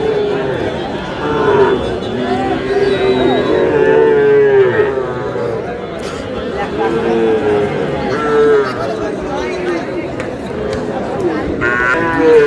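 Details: Cattle lowing at a cattle market where a Noakhali farmer buys a Sahiwal bull calf, 24 April; several drawn-out, wavering moos overlap amid steady crowd chatter and men talking throughout.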